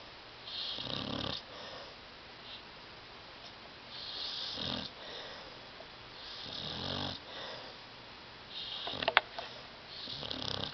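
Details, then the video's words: Tyson the dog sleeping on a love seat, snoring very loudly: four long, rasping breaths roughly every three seconds, each a broad, airy roar, with one brief click near the end in a quiet room. "DOG SNORING"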